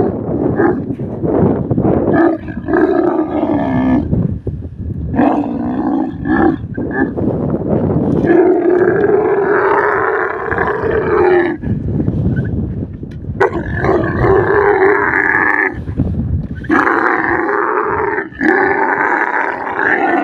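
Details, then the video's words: Desert camel voicing an extended run of deep, gurgling roars and moaning bellows. The calls shift in pitch and follow one another with only brief breaks. "camel voice sounds"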